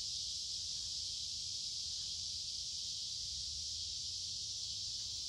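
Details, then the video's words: Many noisy cicadas sing along a wooded creek in midsummer on a warm, humid day: a dense, unbroken hissing buzz, steady and high-pitched, with no pauses. A faint low rumble sits beneath. "Walking along a Creek with lots of Noisy Cicada Insects Singing in Summer"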